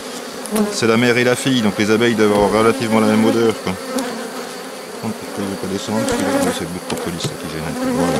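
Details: A drone-laying honey bee hive being rescued on 3 May 2021 by adding a brood frame with its nurse bees from the hive next door. Intense, wavering flight buzzes for about three seconds, followed by fainter, intermittent humming of passing bees.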